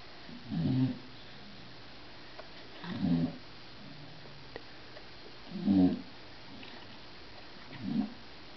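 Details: Snoring bulldog indoors, audible through a closed door over a television: four low, throaty snores spaced about two and a half seconds apart, each a short rasping rumble, quiet room between breaths.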